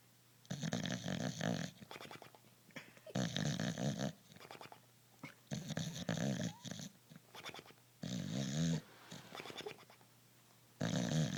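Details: Bulldog asleep and snoring loudly, each rattling, throaty breath lasting about a second, five snores spaced two to three seconds apart, with gentle snuffling between them.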